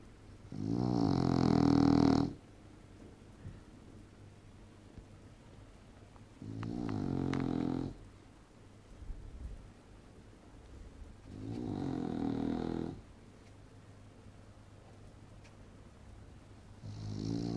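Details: Sleeping female English bulldog snores loudly, each rasping, rumbling snore lasting one to two seconds and recurring roughly every five seconds, with quiet pauses between.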